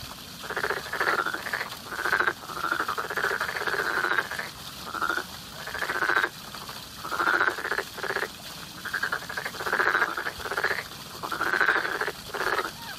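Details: Steady spring frog calling, a near-continuous run of rasping, pulsed croaks, several overlapping in quick succession with only brief pauses between bursts.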